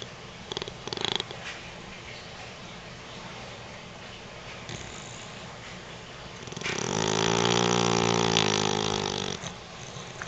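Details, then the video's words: Sleeping Beagle snoring indoors: quiet background, then one long, low, rasping breath with layered tones swelling for about three seconds before fading, with a few soft rustles earlier. "beagle snoring"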